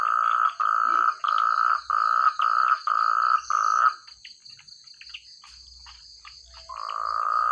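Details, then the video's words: Frogs calling in rice fields in the countryside: loud, clear croaks in pulsed bursts of about half a second, repeated several times before stopping, then resuming; faint scattered clicks and a steady high insect-like hum in the background. "Suara katak terbaik,rame ,keras dsn jernih"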